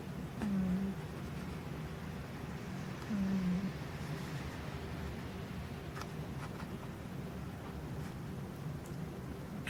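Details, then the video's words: Ruthie, a pet cat, snoring indoors: two quiet, low rumbling breaths about three seconds apart, each lasting roughly half a second, over a steady low background hum. "My Cat Ruthie Snoring"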